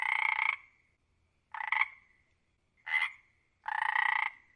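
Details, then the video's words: Frog giving four rattling, pulsed croaks, each about half a second long and spaced roughly a second apart, against an otherwise quiet background. "Frog Croaks Sound"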